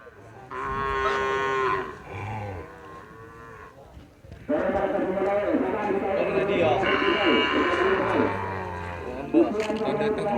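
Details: Cattle at a Kerapan Sapi bull race on Madura island, East Java, Indonesia; a drawn-out, harmonic moo sounds early, followed by a dense, loud mix of human voices and crowd noise.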